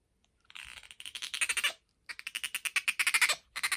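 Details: Rapid trains of sharp high chirps from Bingo the pet otter, about ten pulses per burst in two quick series separated by a short silence, then a third burst starting at the end.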